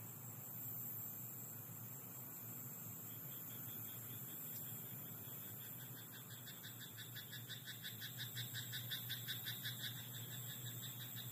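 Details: A frog chorus in a rice paddy at night builds into quick, rattling croaks, each a burst of fast clicks repeated several times a second. Thin, steady high insect tones ring above and a low mechanical hum runs underneath.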